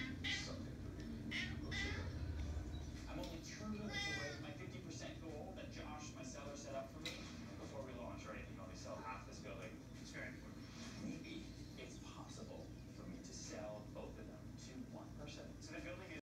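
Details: Ragdoll cat indoors meowing to alert its owner that hummingbirds have arrived at the feeder; short harmonic meows recur among steady low background hum and frequent human speech.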